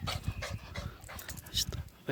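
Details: A dog making a strange, funny noise: quick, rhythmic, breathy huffs, several bursts each second, low and rasping with some higher hiss, as a person talks over it.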